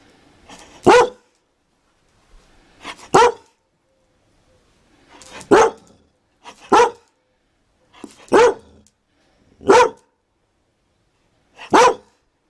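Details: Dalmatian barking steadily: about ten sharp, loud barks across twelve seconds, some in quick pairs, separated by near silence with faint breathy sounds before several barks.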